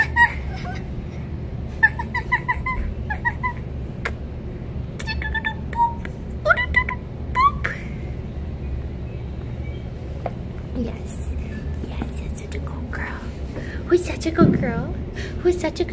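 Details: Winter, a female red fox rescued from a fur farm, where she lived her first five months, and now learning to trust, whines indoors: short high, bright harmonic yelps in quick clusters over the first eight seconds, then softer noises and a woman's voice.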